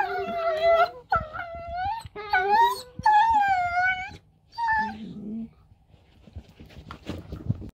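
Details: Two dachshunds in rough-and-tumble play "talk" to each other with long, wavering, moaning whines that rise and fall in pitch.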